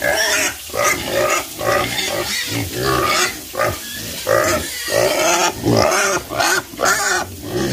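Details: Pigs on a farm calling in short, rough grunts and squeals, about two each second, in pulsing bursts with harmonic bands, the calls tightly packed and loud.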